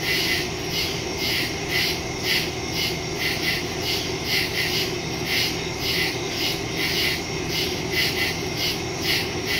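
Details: Nighttime woodland cricket chorus from September 2, 2023, captured by phone with a Shure MV88+ stereo mic: shrill pulsed chirps recurring roughly every half second, several overlapping, above a constant low rumble.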